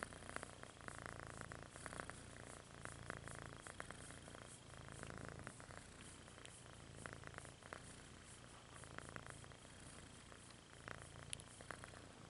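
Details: A steady purr from Rudolph, the red-nosed kitten, rises and falls with each breath in a deep rhythmic rumble, with a faint thin steady tone above it.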